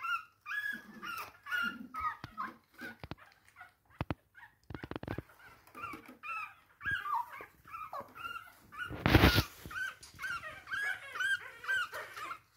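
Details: ['Chihuahua puppy indoors, unable to get back into bed, whimpering in a run of short whiny yelps and whines with some sharp clicks and knocks, while a woman talks encouragingly over it.']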